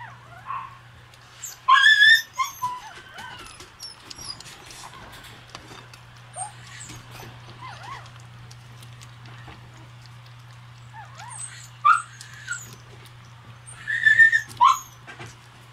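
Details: Red Shiba Inu male puppy, born 5 July, eating hungrily in a great rush; scattered high whimpers and squeaky yips in short bursts around two, twelve and fourteen seconds, quiet stretches between, a steady low hum throughout.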